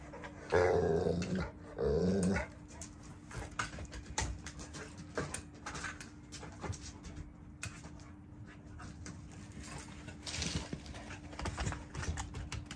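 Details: Cane Corso dog on night guard, giving two low rumbling growls in the first two and a half seconds, then quieter shuffling and faint noises in a small indoor space.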